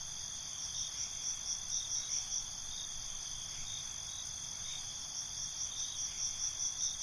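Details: Several crickets chirp together after dark, their shrill, ringing trills running steadily while rhythmic bursts rise and fall in short runs.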